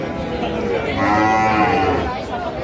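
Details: A single long, steady moo from Sahiwal bull calves at a Chuadanga cattle market in Bangladesh, June 2025, with rich stacked harmonics over murmuring voices of buyers.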